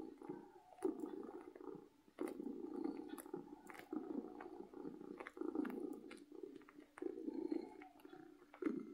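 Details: Domestic cat purring with happiness, a continuous low rumble in long breathing cycles, soft clicks and rustling close by.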